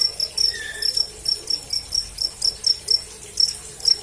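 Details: Live-recorded cricket, used as a training sound for birds: sharp, high trilled chirps at roughly two per second, evenly spaced, with a brief soft tone early on.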